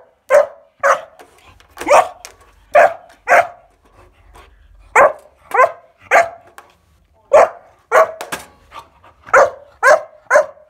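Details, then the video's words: Kuvasz puppy named Bowie, 14 weeks old, barking at home while playing with a weighing scale: a string of short, sharp barks in uneven bursts, roughly two per second, with brief pauses between runs. "KUVASZ PUP SPEELT MET WEEGSCHAAL!"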